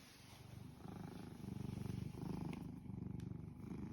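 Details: Domestic cat purring contentedly beside its owner, shown as a steady low rumbling purr with regular pulsing throughout, rising slightly in the middle and continuing to the end, with faint room background.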